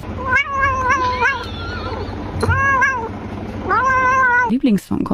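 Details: Frightened pet cat indoors, meowing three to four times in quick succession; each wavering cry rises then sags, loud and strained, over low room rumble and faint human speech.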